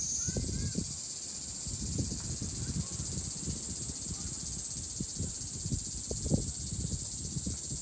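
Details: Cicada song as a continuous shrill metallic hum, high and even throughout, over low rumbling thumps and background noise.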